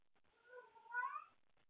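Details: Late at night a house cat named Wendy, up playing with her toys, calls for a playmate: one short meow under two seconds, wavering and swelling louder toward its end in a small quiet room.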